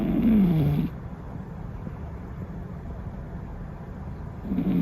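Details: Cat snoring: a low, nasal, droning snore opens the moment, fades into near silence for several seconds, then a second snore starts rising again at the very end.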